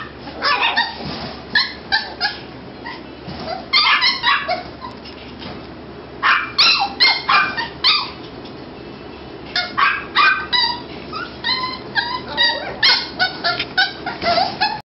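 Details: Several Toy Poodle puppies in a kennel, captured with a Nikon D5000: clusters of shrill, squeaky yelps and thin whimpering whines come in irregular bursts, several per second, separated by short quiet gaps.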